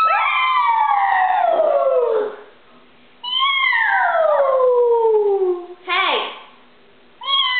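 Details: Pet pug indoors howling along in imitation of its owner's howl, which began after it barked at the doorbell; two long falling, wavering howls over two seconds each, then a short yelp and a brief rising start.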